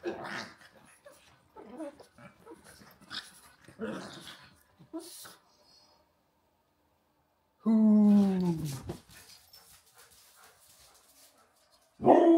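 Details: Husky Rhett Butler and pug Walter playing; rough growls and snuffles early, then a loud, drawn-out descending husky-like vocalization lasting over a second, followed by quiet and another loud burst at the close.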